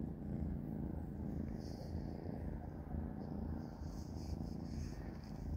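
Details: Three kittens named Panda, Grayie and Goldie purr while eating a dinner of dry cat kibble. The low, even purr continues without pause and sits close to the microphone.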